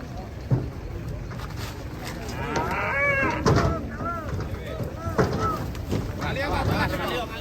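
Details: Cattle, described as raging, unloaded from a truck in Indonesia, give many overlapping drawn-out moos. The arching, rising-then-falling calls come from several animals at once over a low rumbling background throughout.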